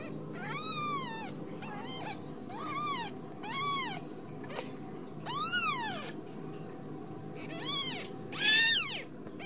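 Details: Ragdoll kittens raised in a home cattery in central Kansas, meowing repeatedly: a run of arched, rising-then-falling mews, about eight in nine seconds, the last one louder and shriller, over a steady low indoor hum.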